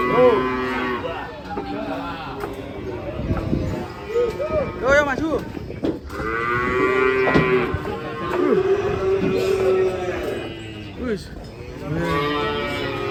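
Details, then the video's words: Cows unloading from a truck, bellowing repeatedly with long, loud, harmonic moos that bend up and down in pitch. Some calls overlap, with faint background noise between them. "SAPI LUCU BIKIN ULAH TURUN DARI TRUK OLENG"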